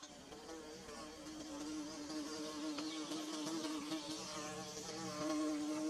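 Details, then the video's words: Low, even droning from bees at work on their nest, a dense humming tone that grows slightly louder toward the close. No other clear sounds. "Bee Buzzing"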